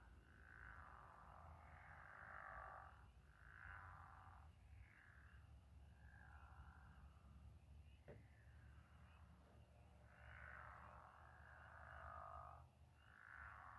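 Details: Night chorus of frogs or toads by moonlit water; dense raspy croaks in clustered bursts, a brief pause near the middle, then renewed overlapping calling over a low background hum.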